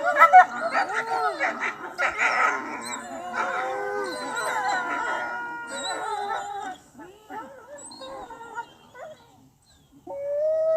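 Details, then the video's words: Several wolves howling together in a dense, overlapping chorus of arching, wavering tones that swell and fade, thinning to scattered short yelps near the end before one more rising howl begins. "Wolf Howling Sound Effect | Wolfs Barking and Howling Sound Effect"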